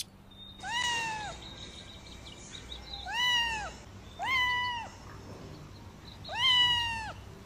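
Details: Silver-grey fluffy house cat with blue eyes meows for attention after a person's soft calling: four loud, harmonic meows over several seconds, each a sustained arched tone, with faint background hiss between them.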